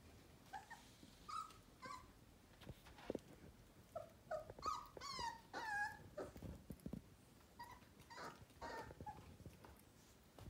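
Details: One-month-old Sheepadoodle puppy giving high, whining whimpers and yelps in short bursts, rising and falling and clustered around the middle, with soft rustling between cries.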